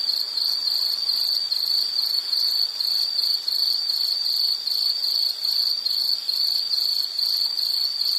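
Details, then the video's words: A steady insect trill, sharp and high, with fast pulses repeating continuously at one pitch and faint overtones above, the background otherwise quiet. "Nature Sound of nature sounds scenery L · insect"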